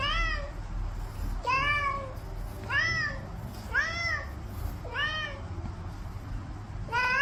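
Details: A domestic cat meows over and over: six or so arched, harmonic-rich calls, each rising then falling, spaced a little over a second apart above a low, steady background hum.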